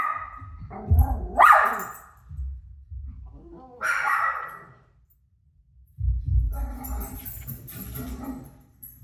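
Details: A dog named Rosie barks at her own barking playing on TV. Two sharp barks come near the start and middle, then a louder, rougher stretch of barking and noise closes the clip.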